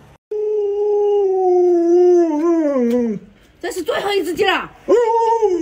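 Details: Luoluo, a pet Alaskan Malamute known for many tricks, lets out a long, steady, slightly falling howl lasting about three seconds, then adds a burst of rougher, wavering yowls indoors.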